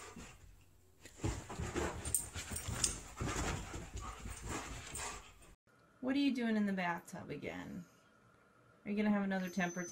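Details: Siberian Husky 'talking' indoors: after a stretch of muffled speech and clatter, two drawn-out howling vocal phrases sweep downward in pitch, each lasting around a second.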